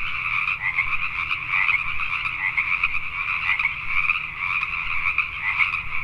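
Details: Pacific tree frogs calling at night in Richmond, British Columbia, Canada: a dense chorus of overlapping two-toned croaks forms a steady, pulsing wall of sound with a faint low hum beneath.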